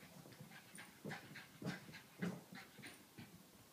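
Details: A 7-month-old female Pekingese puppy chasing her tail pants and snuffles in quick, uneven breathy bursts.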